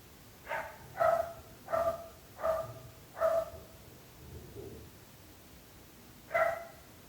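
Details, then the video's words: Dogs barking, a nuisance to the neighbours: five loud, ringing barks about every 0.7 seconds, a pause with a soft low grunt, then one more bark, over faint hiss. "26 minuts gossos lladrant / 26 minutes barking dogs"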